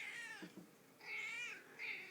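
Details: Female domestic cat indoors, out of food and asking to be fed: three clear, harmonic meows, a short first one, then a longer drawn-out rising-and-falling cry, and a brief third one at the end.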